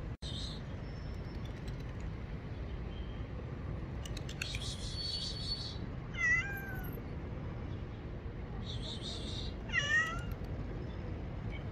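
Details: Two separate descending meows from a small kitten afraid of the bathroom, calling for help, several seconds apart, with bursts of rustling noise and low rumble around them.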